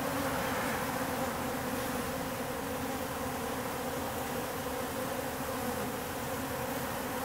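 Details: Swarm of wild bees, workers and drones in roughly equal numbers, at an industrial wall in October; continuous thick buzzing hum from many insects, even in loudness across the whole stretch.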